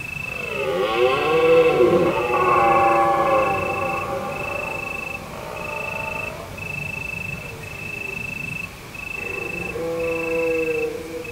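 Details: Deer calling under a full moon on an autumn evening in the hills of Provence, France: long, rich, harmonic bellows rise and fall over the first five seconds, with a shorter one near the end, over steady pulsed cricket song.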